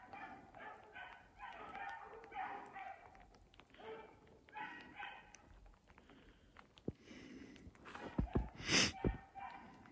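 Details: Distant bawling of two running beagles, Rio and his sister Ripley, trailing a snowshoe hare in a block of woods on a dark, rainy evening over icy snow; tonal bays come in quick rhythmic bursts for five seconds, then loud crunching and rustling nearby.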